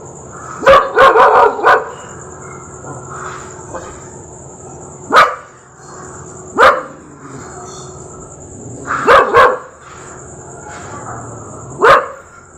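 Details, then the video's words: Rottweiler barking: a quick burst of four or five deep, harsh barks, then single barks spaced a second or two apart and a later double bark, over a steady high electronic whine. "Rottweiler Dog sound effects"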